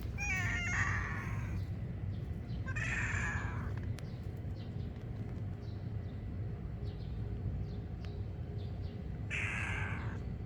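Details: Silver tabby and white kitten mewing: three high, bright meows with rising then falling pitch, spaced irregularly over ten seconds, above a steady low rumbling background noise.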